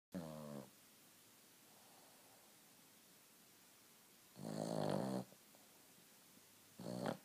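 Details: A Boston Terrier, asleep, snores in loud, rough, rattling bursts separated by quiet pauses.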